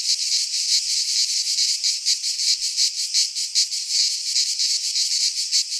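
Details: Cicadas of a Greek pine forest singing in midsummer, a shrill, grating drone swelling and fading in rhythmic waves about two or three times a second, faint low thuds underneath.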